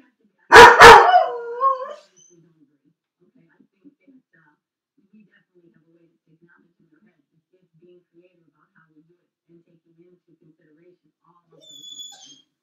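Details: Felix, a dog left alone in his crate on a second try while the owner drives around the block, gives two sharp barks that trail into a brief wavering whine, followed by a long quiet stretch and a faint high sound near the end.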